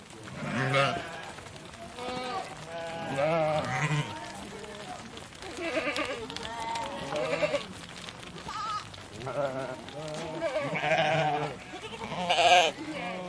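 A flock of sheep bleats repeatedly, wavering calls overlapping as the animals pass.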